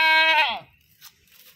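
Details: Goat giving a short, loud harmonic bleat that starts strong and steady, then breaks and falls away within about half a second, followed by faint rustling.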